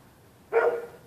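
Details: A single sharp bark from one of the neighbourhood dogs that bark through the night whenever anybody walks the public sidewalk on either side of the street.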